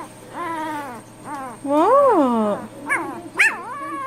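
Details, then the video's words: Pet dog 'talking' back to its owners indoors: long, wavering, whine-like howls that rise and fall in pitch, with one drawn-out swell in the middle, then two short sharp yelps. "Funny Dogs Talking and Arguing With Their Humans"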